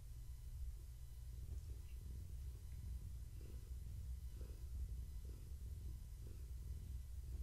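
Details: A pregnant long-haired tabby named Gaia is stroked in the evening, giving a soft, even low purr with faint breathing pulses under quiet room hiss.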